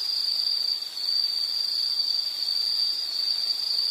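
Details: Nature sound of an insect: a piercing, even buzzing trill running nonstop at high pitch, with a short quieter moment near the first second.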